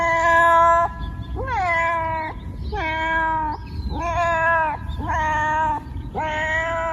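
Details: Domestic cat meowing in a series of six drawn-out, harmonic-rich meows, each about a second long with a slight rising onset, spaced roughly every second, over a low background hum.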